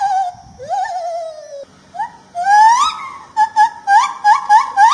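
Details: White-handed gibbon of Peninsular Malaysia: a long wavering rising hoot, then a fast run of short sharply rising whoops repeated several times per second, loud and clear.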